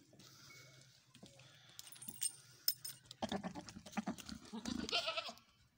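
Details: White male goat with a female in a village, a loud rough bleat in the second half over clattering and rustling noises, with bird chirps early on.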